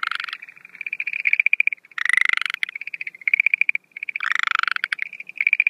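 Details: Schlegel's green tree frogs at night in breeding season, 17 April 2013, mixing their usual quick pulsed trill with two different call types: loud, broad, grating bursts between the steady rattling notes.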